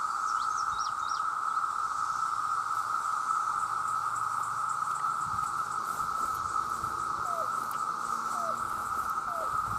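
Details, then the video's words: Millions of male cicadas call for mates in a constant, piercing buzz that never breaks. Quick high bird notes come early, and a few soft lower chirps appear toward the end. "The Sound of The Cicada"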